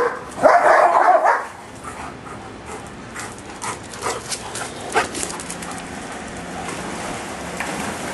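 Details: On a hot afternoon, Giant Schnauzers at play in a backyard give one loud, hoarse bark lasting about a second near the start. Only faint scattered clicks and a steady background hiss follow.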